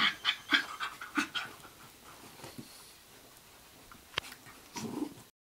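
A Basenji makes quick, breathy bursts, several each second, with a few short, whiny yips near the start. The sounds ease off midway, then return in a brief huffing flurry before stopping.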